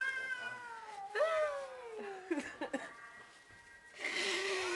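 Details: Two cats; a long wavering meow sliding downward, followed by short clicky sounds and then a rushing noise burst near the end.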